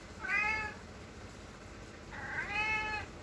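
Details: Domestic cat asking for the door to be opened so it can go outside; two clear, tonal meows about two seconds apart, each bright and harmonic with a gentle rise and fall, quiet room behind.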